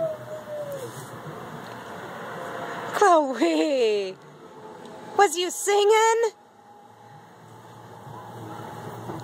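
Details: Chloe, a pet dog, howls in response to sirens: a tonal howl sliding steadily downward, then a second wavering, rising-and-falling howl, over a constant background hum with a faint steady tone.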